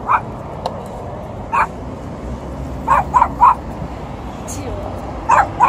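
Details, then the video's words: A very yappy small dog meets an Alaskan Malamute and a Golden Retriever. It gives sharp, high, clipped yaps: one, then another, then a burst of three, and a closing pair. Quiet background between them. "meet 3 ankle biters (and one was very yappy)"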